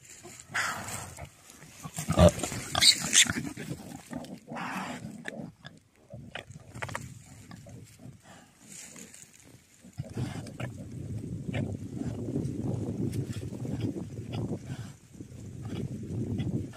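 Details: Wild boar from a family living on a mountain grunt and snuffle in low, rough bursts, with a few sharper squeals early on.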